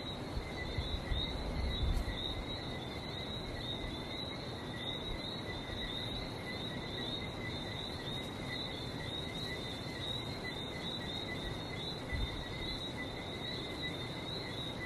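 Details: Frogs in Barbados keep up a steady, high, overlapping chirping chorus, while the sea surges low beneath, with a few louder bumps of noise near the start.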